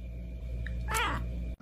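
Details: Cat giving a single short, wavering meow lasting under half a second, over a steady low hum.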